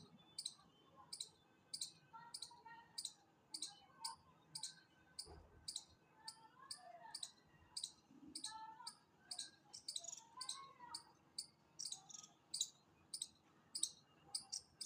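A chipmunk calls with a long run of bright, clipped chips at an even, rapid beat of about two per second. Soft twittering from birds sounds faintly underneath.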